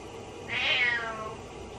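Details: A single plaintive meow from Butters, a pet cat calling out while the owner is in the shower, rising then falling in pitch against the constant hiss of running water.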